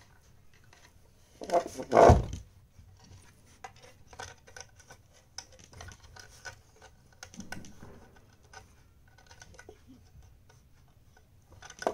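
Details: Quiet indoor room with scattered scratching, tapping and rustling, plus a louder thump near the start.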